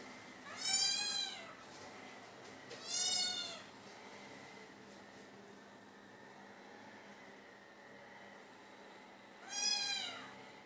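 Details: British Shorthair kittens trying Whiskas wet food for the first time; three high, arching meows, each under a second, spaced irregularly across the stretch with quiet room noise between.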